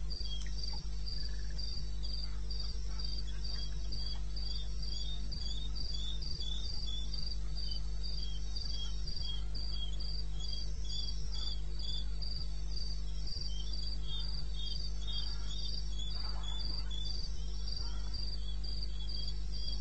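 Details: Crickets calling through the night in wild eastern Botswana, recorded 21 May 2016 at 2:30 AM: continuous shrill pulsed chirping from several insects at two pitch levels, regular and unbroken, over a steady low drone.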